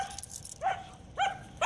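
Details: Female German Shepherd with aggression issues, reactive to other dogs, squirrels, cats, birds and vehicles, giving three short high yelping barks in quick succession over a noisy background.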